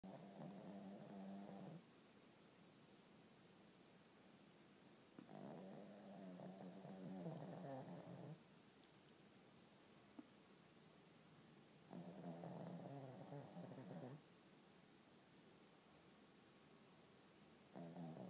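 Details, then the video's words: A sleeping dog snoring indoors; long, rough, rumbling breaths, each lasting about two seconds, separated by quiet pauses of three to four seconds, steady and even over a faint background hum. "More Snoring"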